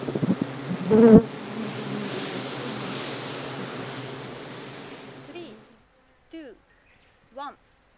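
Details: Japanese honey bees at a wild-caught, open-air colony in Kyoto Prefecture, Japan, on 8 June 2023; a low, steady droning hum with layered tones fills the first five seconds, then stops, followed by a few sharp, falling bird chirps.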